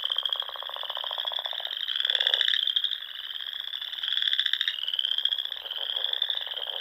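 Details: Frogs singing in spring in the Nebraska Sandhills at dusk, near small lakes and ponds: unbroken high-pitched trilled chorus, with a lower buzzy rattle rising and fading about every two seconds.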